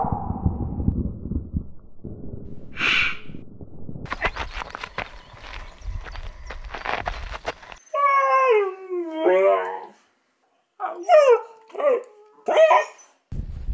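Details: Siberian Husky making drawn-out, wavering, tonal vocal sounds with rising and falling pitch in several bursts, after a stretch of human speech and rustling noise.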